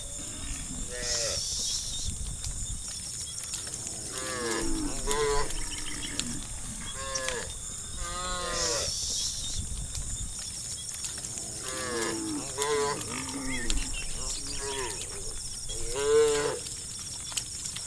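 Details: Herd of wild cows in open countryside at dawn, calling one another to roam: many overlapping lowing moos of varied length, several callers answering each other, with a steady high hiss of insects in the background.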